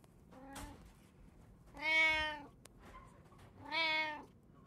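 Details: Indoor domestic cat in a home with three cats, including tabby, Munchkin and Abyssinian breeds: two loud, drawn-out harmonic meows about two seconds apart, preceded by a fainter short mew, over quiet room background.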